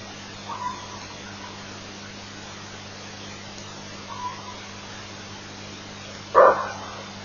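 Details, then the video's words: Greater kudu at Elephant Plains on 08/23/08, barking in alarm at an elephant, picked up by a live-stream camera. A single loud, short, harsh bark near the end follows two faint earlier barks, over a steady low hum. "Kudu Alarm Barks at Elephant Plains"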